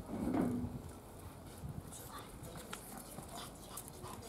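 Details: Standard-type female Chihuahuas indoors; one gives a single short, high, wavering whimper in the first half-second, then quiet room noise with faint rustling and a woman speaking Russian nearby.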